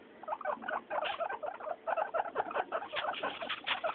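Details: Three pet guinea pigs, Mayumi, Archie and Miyuki, calling noisily at floor time; brisk, pulsing series of high squeaks, each burst lasting a fraction of a second, repeated steadily.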